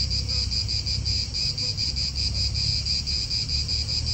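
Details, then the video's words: Chorus of cicadas in an Italian park: a continuous high shrill buzz pulsing roughly four times a second, with low wind and traffic rumble beneath. "italian park ASMR Cicadas wind real atmosphere in an Italian park birds"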